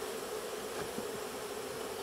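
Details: Many Western honey bees crowded in a hive box during a 2021 beehive inspection; a steady, even buzzing hum runs through the whole moment without breaks, with no voices heard.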